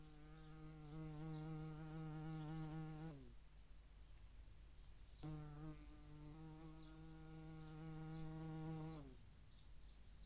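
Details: European hornet at a feeding site in Dohr, Eifel, on 11 July 2022, with median wasps also present: two steady, low, droning wing buzzes with rich harmonics, about three and four seconds long, separated by a short pause, each ending with a slight drop in pitch.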